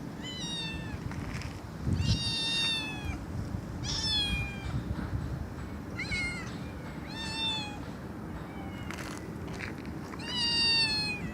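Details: Cat meowing loudly and repeatedly, bright harmonic meows about every second or two, some falling in pitch, over a constant low rumble.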